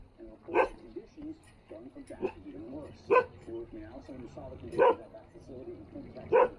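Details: Standard poodles playing in water in Ketchum, Idaho; four sharp, loud single barks about every one and a half to two seconds, with people talking and murmuring in between.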